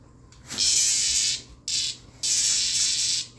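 A cicada gives three harsh, hissing buzzes, each steady and high-pitched, separated by brief pauses.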